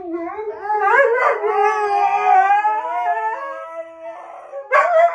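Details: Siberian Husky howling in long, wavering, harmonic tones that glide up and down over about four seconds, ending with a short sharp yelp-like burst.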